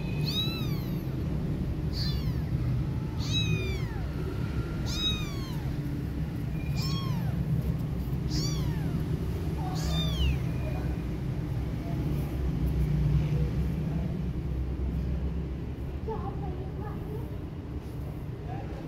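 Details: Domestic cat caring for a friend's kittens after losing her own baby: thin, high, arching meows repeated about every second for ten seconds, then fading to softer faint calls, over a steady low rumbling hum.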